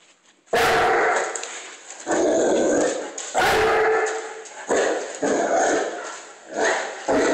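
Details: A 150-pound Cane Corso barks at a broom it is scared of, indoors: a series of about six loud, harsh, booming barks in quick bursts, some doubled, each with a short ringing tail between them.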